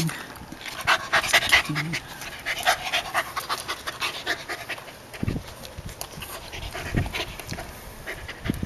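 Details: Rapid, breathy huffs from Eve, a former stray dog of unknown breed, as she faces a coconut crab in a yard on Guam. A person speaks briefly over the panting near the start.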